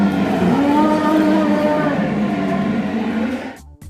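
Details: Elephant giving a rumbling roar, a loud, drawn-out harmonic bellow that holds steady for over three seconds, wavers slightly in pitch, then fades out abruptly near the end.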